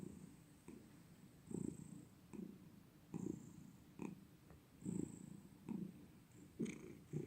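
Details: Domestic cat purring in steady cycles, each low grumbling burst lasting under a second and returning about every second, with light clicks and a thin high hiss.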